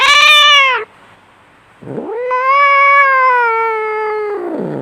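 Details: Two loud, wailing fight yowls from a domestic cat, separated by a second of near silence. The first falls away at its end, and the second sweeps up and holds a long, strained, nasal tone before trailing downward.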